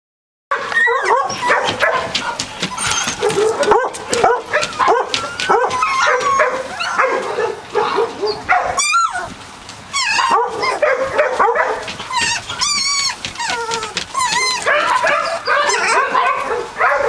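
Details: Litter of three-week-old Catahoula Leopard Dog puppies producing a dense chorus of high whimpers, squeals and yips, overlapping almost continuously with a brief lull near the middle.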